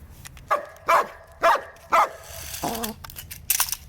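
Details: German Shepherd named Bear barking indoors while facing a toy snake: four sharp barks spaced about half a second apart, then a lower, drawn-out whine-like bark and a soft final yip, in a small room.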